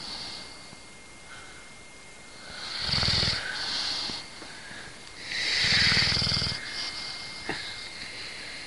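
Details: Bulldog asleep and snoring while being disturbed by its owner; two rough, droning snores roughly three seconds apart over a steady background hiss, with a faint click late on.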